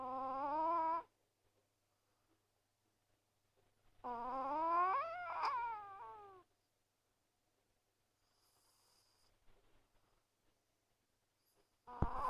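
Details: Sleeping Chihuahua named Azuki snoring so loudly it seems her nose might be bad; nasal, tonal wheezing snores with stacked overtones, each lasting one to two seconds, rising and falling in pitch, separated by long quiet gaps.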